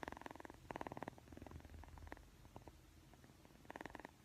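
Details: Persian cat kitten purring while yawning and playing with a camera; rhythmic rapid pulses in clustered bursts, fading between, then returning strongly near the close.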